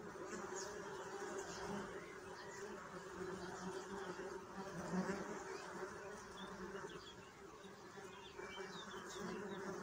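A steady, low droning hum of many bees buzzing together, rising and falling slightly in loudness.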